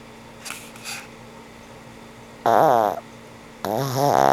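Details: Asleep, the old pug Frank N. Stein lets out soft breathy exhales, then two loud, harsh, vibrating snores, the second drawn out and rising, over a faint constant hum.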